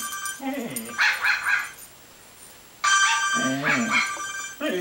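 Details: A Belgian Sheepdog that hates a certain phone ringtone howls, "singing", in wavering, rising and falling bursts over the ringtone's bright, steady tones, with a brief quiet gap between phrases.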